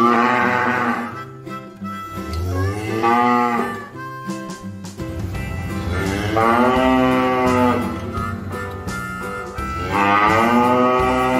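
A cow lows in long, wavering moos that swell and sag in pitch, each lasting a couple of seconds. Gentle music plays steadily underneath the calls.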